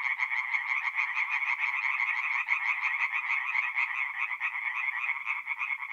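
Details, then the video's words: Forest pond at night in mid-April, north-east Italy, full of singing tree frogs; continuous chattering, rattle-like croaks from many animals merge into an even, shrill chorus without other noises. "relaxing forest pond by night with singing tree frogs"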